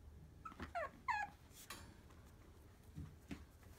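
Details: Puppy named Honoka, a female, filmed indoors on February 13: two brief high whimpers with rising and falling tones near the start, then soft rustling and faint bumps in a quiet room.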